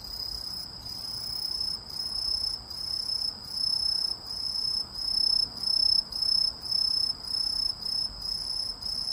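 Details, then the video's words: Insect, which may be a cricket or a grasshopper, giving high, shrill trilled bursts of about half a second each, separated by brief gaps and repeated roughly twice per second, with a faint low background hum. "이 소리의 주인공은 귀뚜라미? 베짱이? 여치? # Who makes this sound, a Cricket or a Grasshopper?"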